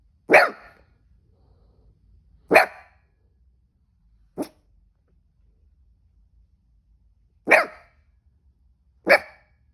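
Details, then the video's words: Hiccuping cavoodle gives five short, sharp barks at uneven intervals. The third is a smaller, clipped yip, and there are quiet pauses between barks. "This cavoodle was barking when he got the hiccups"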